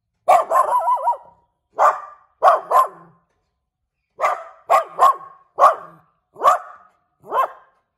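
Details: A cute little dog barking inside a house: loud, sharp yelping barks in short bursts, the first drawn out into a wavering, yodel-like whine, then single and paired barks spaced about a second apart.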